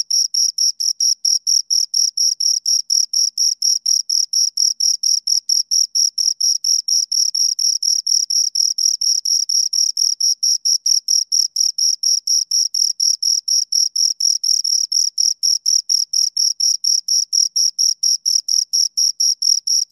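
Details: Rhythmic cricket stridulation by two insects, a fast unbroken train of sharp, shrill pulses around four per second, clean and free of other sounds.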